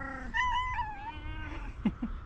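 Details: Tabby cat with a booming voice utters a wavering meow that rises then slides downward and fades, followed by two brief low knocks; it is meowing but not approaching.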